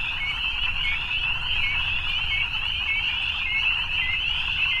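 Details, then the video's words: Many frogs calling together in the evening, a continuous high-pitched trilling band with occasional brighter rising notes poking out, over a faint low rumble. "Evening Frogs"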